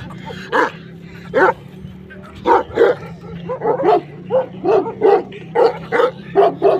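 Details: Pakistani Bully Kutta dog barking: a series of short, deep, gruff barks, single at first and then in quicker clusters, about fourteen barks in seven seconds, over a low steady hum.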